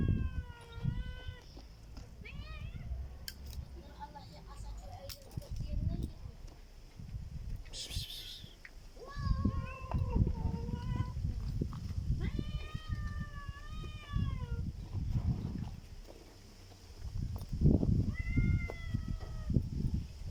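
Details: Black cat giving strange calls: clusters of short, arched meows that rise and dip, repeated in bursts with pauses between, over low-pitched rumble and occasional sharp knocks.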